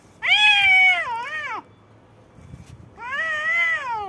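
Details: A white cat and a black cat in a fight. Two loud, sustained, wavering yowls are separated by a short quiet pause, the second one slowly falling in pitch at its end.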